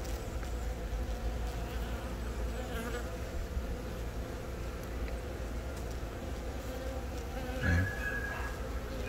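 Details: Honey bees humming around a young queen laying eggs, the colony founded by a natural swarm, Yongin, April 20; even, low droning buzz with a short louder rustle near the end, recorded on a Galaxy Note 10.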